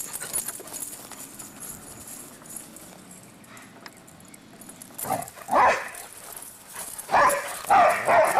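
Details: Two pet dogs barking while running around; a low, rustling background with soft knocks gives way after five seconds to loud, abrupt barks in twos and threes, each short and harsh.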